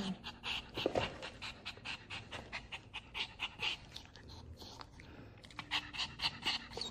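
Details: Dubu, a ten-year-old Maltese dog, pants indoors during a third visit after surgery for a torn right cruciate ligament. Quick breathy rasping bursts repeat about twice a second, with a brief voice early on.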